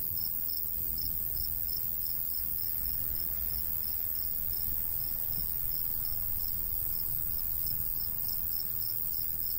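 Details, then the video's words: Crickets in a golden wheat field on a summer day, their high pulsed chirps repeating evenly a little over twice a second throughout, with a soft, constant low breeze beneath. "Countryside/cricket sounds"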